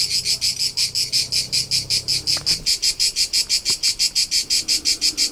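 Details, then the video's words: Crickets recorded in summer among the rolling hillsides of Tuscany, central Italy, on a road trip: a steady, high, shrill chirping in rapid even pulses, about five per second, with faint low rumble beneath. "CRICKET SOUNDS for TINNITUS and RELAXATION : : Soothing Soundtrack of Cricket Noises"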